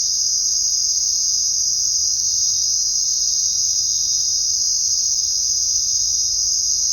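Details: Crickets chirping at night: a dense, unbroken high-pitched shrill trill holding at an even level throughout, with no other clear sounds.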